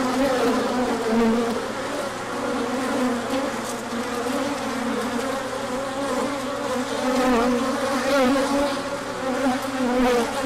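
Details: A crowd of bees taking a large orientation flight in sunshine following cooler days, pollen arriving afterwards; thick, even humming buzz with shifting overlapping tones for the whole stretch.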